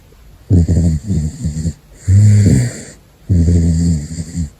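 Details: Caracal snoring while asleep: three long, loud rasping breaths about every 1.5 seconds, rough and low with a hissing upper layer, separated by quiet pauses.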